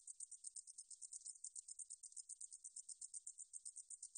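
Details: A 등줄어리쌕쌔기 meadow katydid, 2020 National Institute of Biological Resources recording, gives rapid rhythmic high-pitched ticking pulses, close and clear, nearly eight per second, steady in loudness; silence otherwise.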